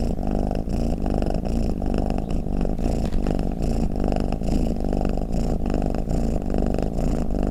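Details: A snoring, purring cat gives a steady deep rumbling drone with a fast throbbing pulse and an even loudness throughout, in a quiet setting with no other noises.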